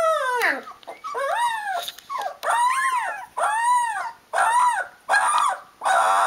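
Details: Hungry 16-day-old Rhodesian Ridgeback puppies calling for their mother: long arching whines that rise then fall, repeated about once a second, with a couple of rougher squalls toward the close.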